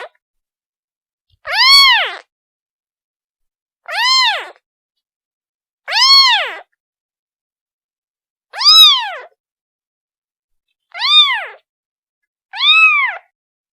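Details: Kitten calling for its mother: six clear, high meows, each arching up then falling, spaced about two seconds apart with silent gaps and no other sounds.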